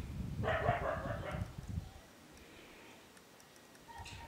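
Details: Five-week-old Siberian Husky puppies from a breeding kennel; a burst of overlapping yelps and squeals lasting about a second, then near quiet with a faint thin high tone near the end.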